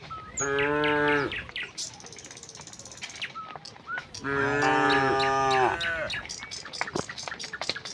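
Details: Tame cattle herd walking from the neighbouring village to their pen in rural Indonesia: two long, deep, harmonic moos, each about a second, several seconds apart, with frequent bird chirps throughout.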